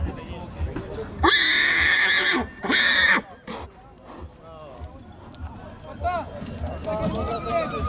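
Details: Two-year-old colt stallion at Dăneștii Chioarului, Maramureș, Romania, letting out a strong, raspy neigh in two quick bursts lasting about two seconds in all, followed by people talking.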